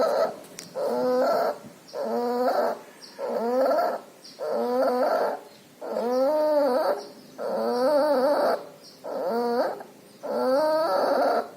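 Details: Loud, wheezing breaths from a puppy infected with pneumonia and distemper and showing nasal discharge; roughly nine whimper-like, wavering breath sounds come about every 1.3 seconds against a constant faint high hum.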